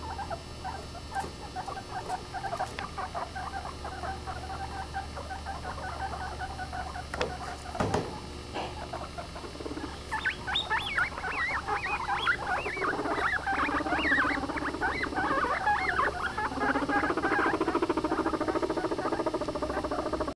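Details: Guinea pigs vocalising: fast repeated short chirps at first, building after ten seconds into louder rising and falling whistled squeals that continue to the end, with a low background hum.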